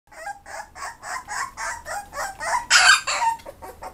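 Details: Toy Poodle. A Toy Poodle puppy barks in quick, thin yaps, each burst brief and bright, repeated several times a second. The run builds to a louder, harsher bark near the end before tapering off.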